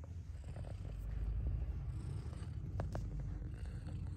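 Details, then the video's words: Mother cat purring steadily, a low continuous rumble with fine rapid pulsing, a few faint soft clicks over the top. "Mother Cat Purrs"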